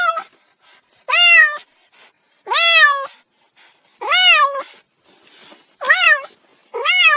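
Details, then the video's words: A cat meows insistently, six drawn-out, wavering calls roughly every one and a half seconds, each swelling and bending downward at the end, with faint background rustles between. "cat sound effect"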